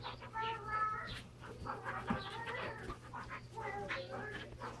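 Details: Two Standard Poodles, Brizz and Copper, wrestling all out while playing with their toys indoors; thin high whining tones rise and fall in short bursts, broken by noisy scuffling thumps and a low steady hum.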